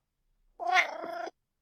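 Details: A domestic cat gives a meow trill, a merged simultaneous meow and trill: a tonal meow blended with a rolling, pulsed trill; trilling is a friendly cat sound, mostly used when happy or content.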